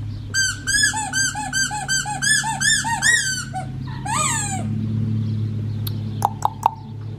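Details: Black tri female Australian Shepherd puppy aged four weeks and five days gives a rapid run of high, squealing yelps about three per second, then a longer wavering squeal and a few sharp clicks, over steady background music.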